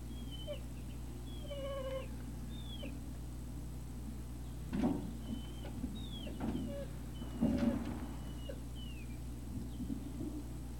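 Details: Several Great Dane puppies whine and squeal on 3 May 2019 in the early evening: brief high tonal cries, some rising then dropping, scattered across the recording, with two louder shuffling bumps and a constant low hum beneath.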